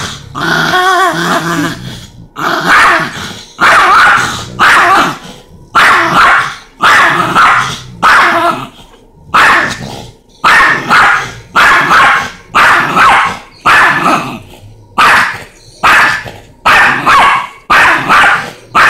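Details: Chihuahua and Rottweiler dogs facing each other: a steady run of sharp, loud barks, roughly one per second, each a short harsh burst, continuing without pause for the whole stretch.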